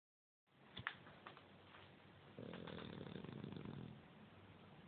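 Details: Bulldog asleep on the couch, snoring: after a few clicks and rustles, a low rumbling breath rises at about two and a half seconds and holds steady for over a second before fading.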